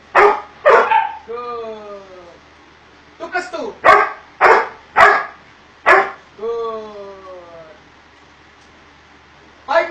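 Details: Doberman Pinscher during obedience training, giving a burst of short, sharp barks about every half second, with drawn-out falling harmonic tones between the groups, and background music and speech.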